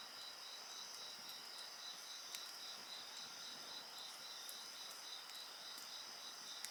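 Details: A continuous high-pitched insect chorus with a fast, even pulsing trill beneath a constant ringing whine. Scattered snaps from a crackling bonfire punctuate the steady night sound.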